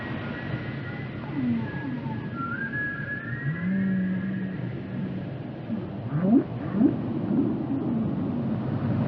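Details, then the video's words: Singing whale with long wavering moans, a higher gliding whistle-like sweep early on and a cluster of quick rising calls near the end, set against constant low rumbling water noise. "the sound of a whale"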